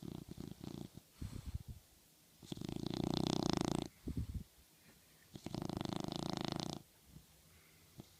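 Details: Dog sleeping and dreaming on a pillow indoors, snoring with two long, rattling, buzzy breaths made of rapid pulses, with shorter snorts and sniffs between them.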